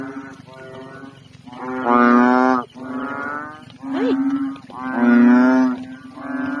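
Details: A couple of unusually big, fully inflated frogs croak loudly in a pond at night in the Philippines, drawn-out nasal bursts overlapping, one floating and swimming.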